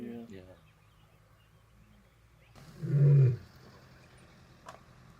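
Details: In winter 2025, with steaming breath, a lioness who is mother to two sons gives a deep, booming roar that swells and fades within a second, asserting dominance in the Madrid pride territory after vervet monkey alarm calls revealed her position.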